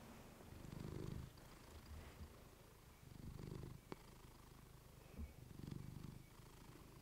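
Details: Female pet cat purring into a fluffy mic for a calming sleep recording; a low throbbing hum surges in three breath-like swells over a hissy background, with a couple of sharp clicks between them.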